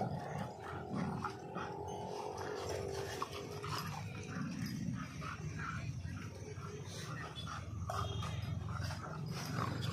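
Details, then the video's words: Real dog fight in India between a German Shepherd and a Labrador: continuous deep growling and snarling, broken by brief higher whines and yelps, a faint voice in the background. "dog fight video"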